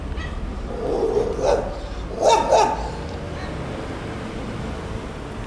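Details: Two male domestic cats in a long fight in a park, a young silver mackerel tabby-and-white against a black cat. Low, drawn-out growling yowls rise and swell twice, with steady background hum.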